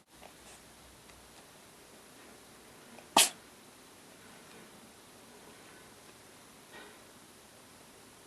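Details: A domestic cat sneezes once while playing. The sudden short puff comes about three seconds in, surrounded by near-silence and faint soft knocks in a small indoor space.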